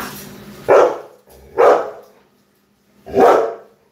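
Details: Labrador Retriever barking three times in about four seconds, each bark loud, short and harsh, separated by quiet gaps; a faint steady low hum underneath.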